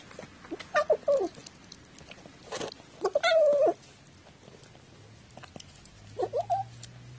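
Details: Talkative house cat, 14 October 2017, its sounds jokingly heard as speech; short chirping meows early on, then one long, loud, level meow near the middle and a brief rising trill at the end, with soft tapping between.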